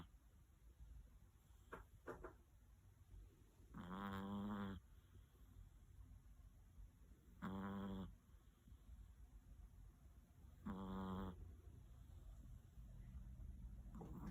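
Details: Sleeping large Chihuahua on its cold bed at 7:45 a.m. snores loudly: three deep, rattling snores spaced about three and a half seconds apart, following a few faint clicks and breaths early on.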